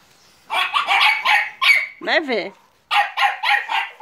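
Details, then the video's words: Staffordshire Bull Terrier and American Staffordshire Terrier puppies at Terierkowo, 30 July 2017: quick runs of shrill yaps, broken once by a human voice, then another rapid burst of four barks. "american stafforfshire terrier's and staffordshire bull terrier's puppies"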